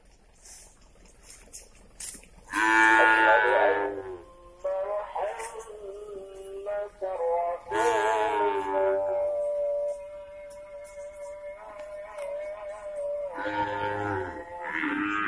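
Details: Beef cattle moved from Lapas Kelas I Batu to Nusakambangan, Indonesia, giving loud, long moos about every five seconds, one held steady for several seconds, with faint clatter between calls.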